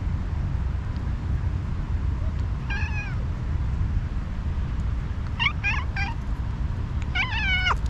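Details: Angry tabby cat, a stray, giving short harmonic meows: one near three seconds, a quick run of three around five and a half to six seconds, and a longer falling cry near seven seconds, over steady low rumbling background noise.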